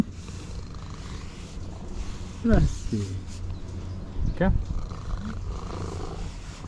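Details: Striped orange domestic cat, approaching after spotting the person from afar, gives two short rising-falling meows about two seconds apart while being greeted; a man speaks affectionately over low background rumble.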